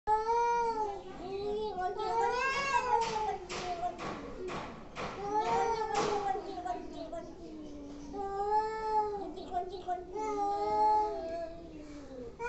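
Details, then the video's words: Angry cats making weird noises: long, wavering, harmonic yowls that rise and fall in pitch, some drawn out over a second or more, with short sharp clicks or knocks in the middle of the recording. "Angry cats making weird noises"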